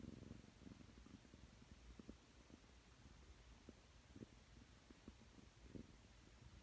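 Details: Aki, a nine-month-old Ragdoll cat, purrs while kneading on a person's outstretched arm in bed. The purr is a low, steady rumble that swells in soft rhythmic pulses with each breath, in a quiet indoor room.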